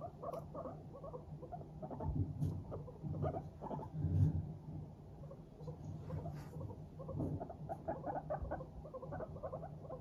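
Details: Pet Teddy and Abyssinian guinea pigs in high spirits keep up a steady patter of quick muffled pulses while walking around, with occasional sharper clicks and a continuous low hum.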